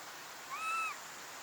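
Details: A young Japanese macaque, or snow monkey, gives one soft, clear tonal coo. The call lasts under half a second, rises slightly, levels off and drops at the end, over a faint steady hiss.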